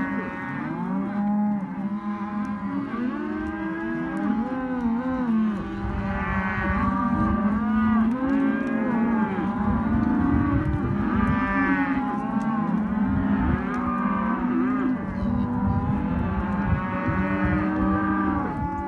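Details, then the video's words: Hereford and Caretas calves, male and female, held as lot 8 at a sale; a long, unbroken chorus of many calves mooing, with repeated swooping, arched bawls rising above a low, steady drone. "Terneros/as Hereford y Caretas"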